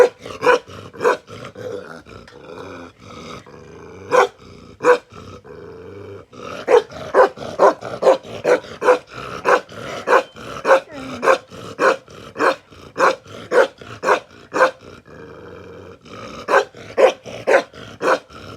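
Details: Aggressive Bakarwal protection dog barking in bursts: a few spaced deep barks, a pause, then a long fast volley of harsh barks, another short break, and a final cluster.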